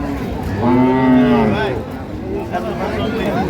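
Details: A dairy cow of improved breed at Ambari cattle market, Dinajpur, recorded 9/3/25. One short, strong moo lasting about a second rises and falls, then fades into background talk and market bustle.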